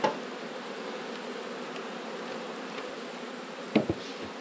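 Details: Honey bees humming steadily during an autumn hive inspection among twelve beehives, a dense continuous low drone holding without pause, with a couple of sharp clicks near the end from handling the hive.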